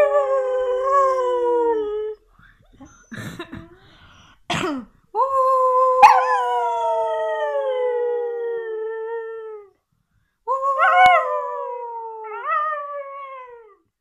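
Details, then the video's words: Siberian Husky pet dog howling: long drawn-out tonal howls that slide slowly downward, broken by short harsh yips and a cough-like sound, then a final rising-falling howl. "Siberian Husky Luna aullando"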